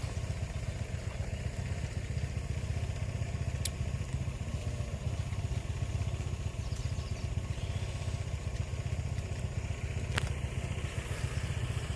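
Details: A steady low engine drone, like a motorcycle or other vehicle idling, runs throughout, with two sharp clicks and no animal voice.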